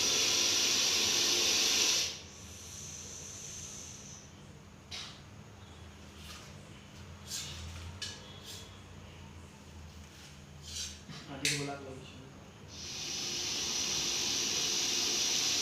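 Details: Deadly venomous Russell's viper caught in Coimbatore gives a loud, steady, breathy hiss of about two seconds. After a long quiet stretch with faint rustles, another sustained hiss of similar strength follows near the end.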